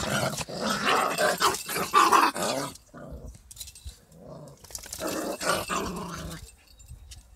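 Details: Fight between a small dog and a big dog: long harsh snarling growls fill the first three seconds, then a short lull with softer grumbling before another raspy growling outburst.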